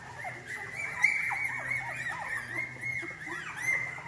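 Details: Female English Cocker Spaniel puppies from a Spanish breeder, due for delivery in August 2022, whining together: overlapping short high arched squeals that rise and fall, crowding one another with a steady faint hiss behind.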